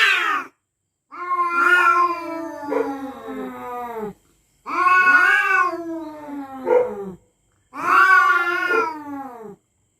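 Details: Night-time standoff between territorial cats: three separate drawn-out yowls of about three seconds each, every one starting high and sliding lower, with clear silences between them.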